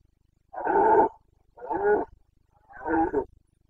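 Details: Carpathian red deer stag in breeding-season rut, Bucovina mountains, Romania's boncănit, 29 September 2022: three loud guttural roars in steady succession, each roughly half a second long and separated by short pauses.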